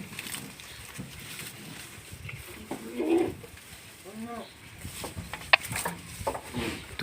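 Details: Pet goats kept at home, two of them, while they are eating; one short, wavering bleat with rich harmonics arrives midway, surrounded by Tagalog speech and outdoor rustling and clatter.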